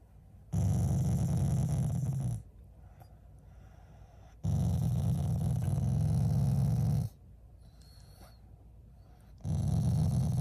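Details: Shiba Inu growling at its owners out of affection rather than anger, a loving family dog; deep rumbling growls come in long bursts of about two seconds, separated by quieter pauses.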